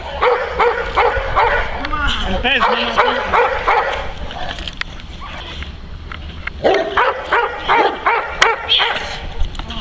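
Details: Neapolitan Mastiff working to guard his owner against multiple agitators. Deep, forceful barks repeat roughly three per second in uneven bursts, with a quieter stretch midway and human speech alongside.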